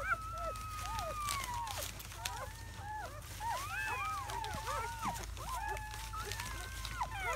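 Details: Newborn German Shepherd puppies, a litter of seven in their first hours after birth, May 2017. A long thin whine slides downward, then a busy tangle of overlapping squeaky whimpers and short yelps from several pups.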